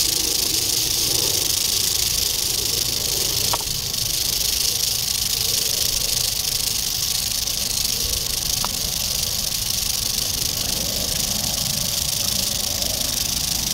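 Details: Continuous rattle of an eastern diamondback rattlesnake, dated 8-27-11; the dense, sizzling buzz runs evenly for nearly fourteen seconds without pause, with a couple of faint clicks and a soft low background hum.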